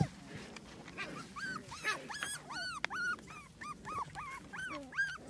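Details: Playing puppies give high, bent yelping whines, one after another at an uneven pace, with soft rustling and low background rumble.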